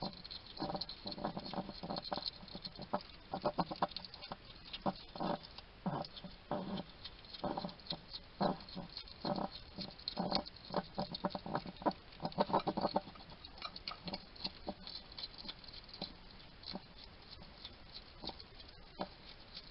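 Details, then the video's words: A wild hedgehog eats at a feeding station in a small Somerset garden, England, with steady rhythmic chomping and snuffly clicks for about thirteen seconds, then quieter, sparser nibbling. "Ever wonder what a hedgehog sounds like? This little guy chatting to himself while he eats."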